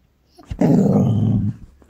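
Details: A female Border Collie showing off to her own reflection indoors, 8 January 2024: a single low, rough growl lasting about one second, steady and buzzy, in a small room.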